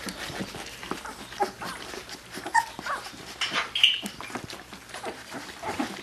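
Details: Labrador Retriever puppies just over two weeks old, eyes starting to open, give soft, high squeaky whines and yips while nursing from their mother on February 15th.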